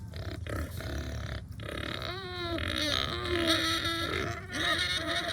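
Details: Hungry pigs on a small farm make wavering, tonal squeals that bend up and down between rough grunts, with loud, continuous, overlapping calling.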